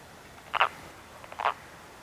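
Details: Wood frog at a woodland pond in early spring, during the annual mating ritual: two short, hoarse, duck-like clucking calls about a second apart against quiet background hiss.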